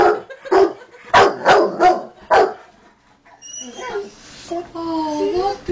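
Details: Pet Rottweiler howling in response to a motorbike: after a few short broadband bursts, a drawn-out tonal howl rises and wavers for about two seconds, with clear overtones and faint high whistling tones alongside.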